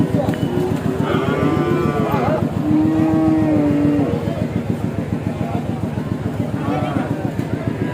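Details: Big cow being unloaded from a truck, lowing in drawn-out, level, mellow moos over the steady rhythmic chugging of an engine, with faint voices nearby.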